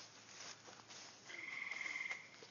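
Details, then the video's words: On a quiet late-spring evening near a gravel road, a tree frog gives a brief, steady, high pulsed trill, with bullfrogs croaking somewhere in the distance. "Maybe you can hear those tree frogs, kinda."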